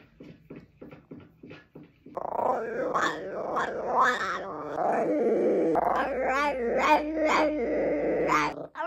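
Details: Pet bichon frise producing odd sounds indoors: a run of short soft huffs, then a long continuous grumbling growl mixed with wavering whines and yips, rising in pitch near the end.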